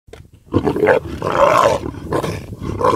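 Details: Lions from a large pride of two males and about six females, wild in Serengeti National Park, Tanzania, feeding on a baby zebra. They give harsh, rasping snarls and growls in bursts of about half a second, with background music.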